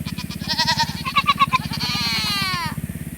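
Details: Several Nigerian Dwarf does in heat, calling to join the bucks; one long trembling bleat with a pulsing quaver that slides downward, over a steady low mechanical hum.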